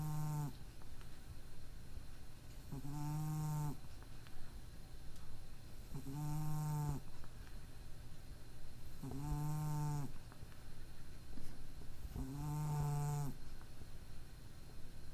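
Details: Cat with a mild nasal disorder, sleeping as usual, gives a steady run of snores: five harmonic, buzzing breaths roughly every three seconds, each held about a second, over a quiet room hum.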